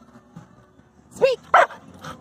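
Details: A pet dog barking on command when told to speak: two short sharp barks about a third of a second apart near the middle, with a person's voice giving the command around them.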